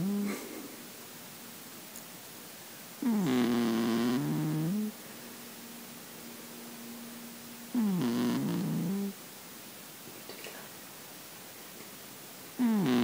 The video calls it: The gentle sounds of sleep - Russian Blue Cat Snoring